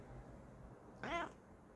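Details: Bengal cat, female, at home responding to her owner's repeated hellos: a single short, bright meow after a second of quiet, over a low indoor hum.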